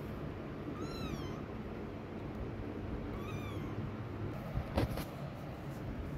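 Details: Mother cat walking away from her hiding kittens; two short, rising-then-falling meows about two seconds apart, followed by a sharp click, with a constant low-pitched background hum throughout.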